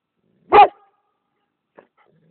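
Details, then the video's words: Single loud, abrupt bark from a Kangal mix dog, followed by near silence and a tiny faint tick. "kangal mischling"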